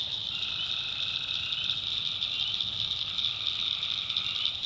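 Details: Tree frogs at night in the North Carolina backwoods: one sustained trill of about a second and a half, a pause, then another begins, under a loud steady high-pitched chorus.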